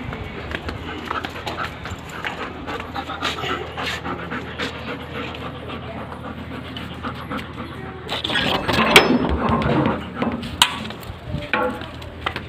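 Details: Labrador Retriever puppy named Johny, said to wake its owners every evening, panting in quick rhythmic breaths, about three or four per second, growing louder and rougher near the end, with faint background noise.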